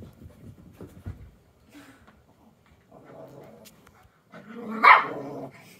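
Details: Two dogs, a 9-year-old Yorkie and a 4-month-old rat terrier puppy, fighting over a stuffed bear: low rumbling growls and snarls early on, softer growling mid-way, then a burst of snarling with one loud, sharp bark near the end.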